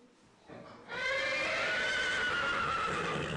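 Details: Arabian horse on a stud farm near Xanthi, Greece, giving a loud, sustained whinny with strong harmonics that wavers and slowly falls in pitch, preceded by a brief soft noise.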